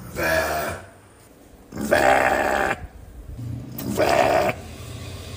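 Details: A sheep gives three wavering, nasal baa bleats, each lasting about a second.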